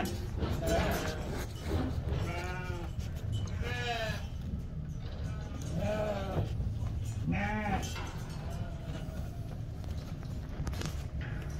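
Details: French Lacaune breeding ewes bleat repeatedly, short rising-falling wavering cries roughly every one to two seconds in bursts, over a steady low rumble and background murmur of people.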